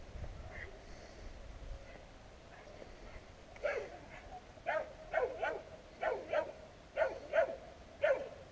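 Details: Street dogs on a street barking at people passing, recorded with a GoPro Hero; quiet street hum at first, then from midway a steady series of loud, sharp barks in pairs about every half second to second.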